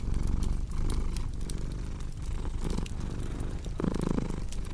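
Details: Cat purr as a low rumble under frequent fireplace crackling, the breathing rhythm less regular and partly masked by pops and snaps.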